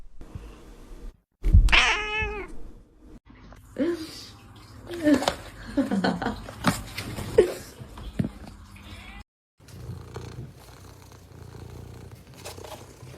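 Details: A cat gives one loud, drawn-out meow that starts high and slides downward, followed by quieter chattering sounds and bursts of human voices.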